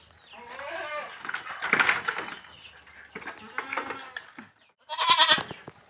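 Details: Penned fullblood Boer goat kids at Boerkah Jaya farm, Blitar, around weighing time: a shaky, tremulous bleat opens, followed by clattering, shuffling pen noise and a bright burst of sound near the end.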